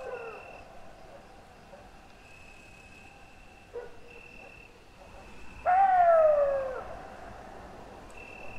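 A wolf lets out a short, pure howl that starts high and glides smoothly down before fading. Softer wavering howls come before it, over a thin, steady high whine in the background.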